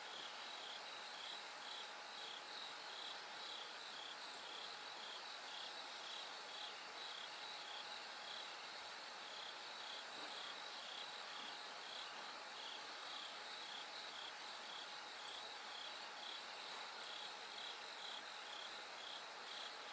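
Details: A night-to-dawn recording with a bell cricket: rapid, evenly repeated high ringing chirps, about two each second, carried on a constant dense chorus of other insects.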